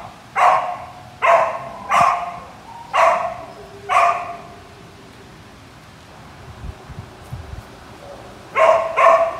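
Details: Samoyed barking in short loud bursts, five evenly spaced barks over four seconds, a quiet pause, then two quick barks at the end; faint low background noise between barks.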